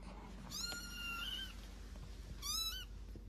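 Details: An indoor house cat that wants to go out meows twice: first a drawn-out, slightly rising then falling meow of about a second, then a shorter, brighter meow, over a steady low hum.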